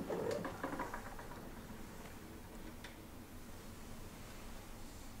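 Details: Heliana, a talkative pet cat indoors in a small room, gives a short harmonic meow-like chirp in the first second, followed by quiet room noise and faint soft taps.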